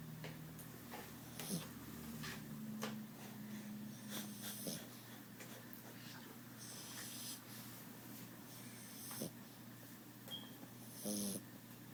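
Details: Flat-faced dog snoring indoors: steady low rasping, wheezy breaths with occasional snorts and faint squeaky notes.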